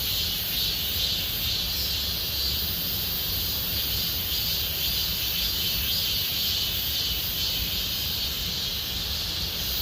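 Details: A dense chorus of cicadas in Gomsol Nuri Forest, Sihwa district, South Korea, fills the late-summer air with a steady, high, hissing buzz.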